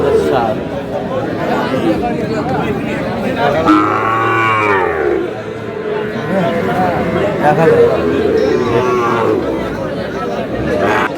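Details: Sahiwal bull calves at a busy cattle market in Kurigram, Bangladesh, on 3 March 2026. A drawn-out, low moo rises out of steady crowd chatter and bargaining voices partway through.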